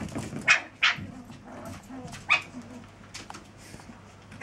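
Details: Chihuahua pups, seven weeks old, giving short, sharp, high-pitched yips: two close together near the start and another after two seconds, then fainter scattered squeaks over a low, rustling background.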